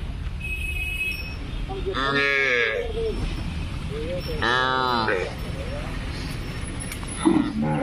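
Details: Punganur calf giving two drawn-out, harmonic moos of about a second each, the first rising and falling, with a faint voice and low background rumble between calls.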